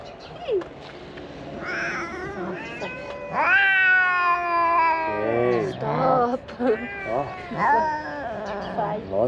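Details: Stray ginger kittens from a large family crowd toward a food box, giving repeated loud meows: a drawn-out, slightly falling cry in the middle among shorter rising and falling mews from several kittens, with a man's voice nearby.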